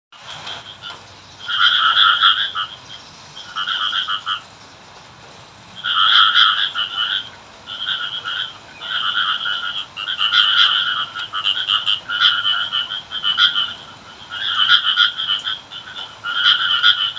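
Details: A frog in a rural village during rain, said to be calling the rain, gives repeated bursts of fast, pulsed, rattling croaking, each bout one to two seconds with short pauses, over a soft steady hiss.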